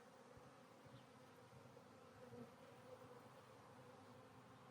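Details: Colony of honey bees humming inside a hive during re-queening, a new queen released from her cage: an even, steady drone with a slight swell in the middle, nothing else clearly audible.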